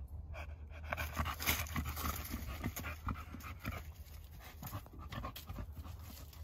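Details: Male dog running around outdoors at 35 degrees, panting hard in quick, breathy huffs about three to four per second, steady and unbroken, over a low rumble of wind.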